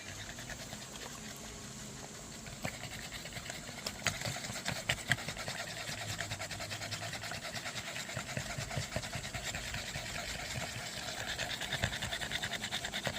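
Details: Dog panting after zoomies, breathy rapid pants about 146 per minute, fairly steady with scattered clicks and a faint low hum underneath.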